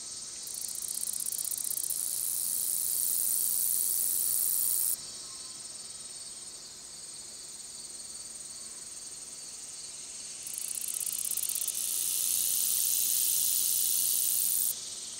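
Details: Long-spurred meadow katydid singing: a very high, soft, continuous buzz in long bursts of several seconds, alternating with quieter stretches of fast, even ticking.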